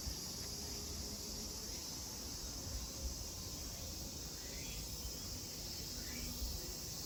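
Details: A continuous shrill cicada chorus fills the grounds of Kozoji Temple, also called Takakura Kannon, in Kisarazu, Chiba prefecture, Japan, with two short rising bird-like sweeps and a low murmur underneath.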